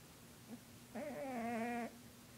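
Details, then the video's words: One sustained, slightly quavering, humming snore of nearly a second from Lucifer, a 20-pound cat, after a faint short note. "Lucifer the Cat snoring"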